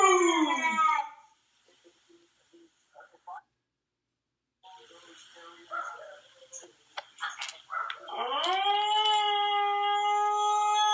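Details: A Siberian Husky howling to himself gives a falling howl, goes quiet, then rises into a long, steady, drawn-out howl.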